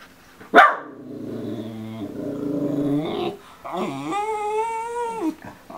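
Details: A 10-week-old male Miniature Schnauzer puppy stuck on a couch, watching an adult schnauzer walk around, yips once, grumbles low, then gives a drawn-out, wavering high whine asking to get down.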